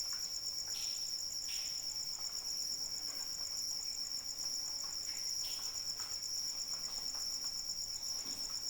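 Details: Rain falls steadily as a cricket keeps up an unbroken, high-pitched pulsing trill for nearly nine seconds, with several sharper splashes and drip taps breaking through the soft rain noise.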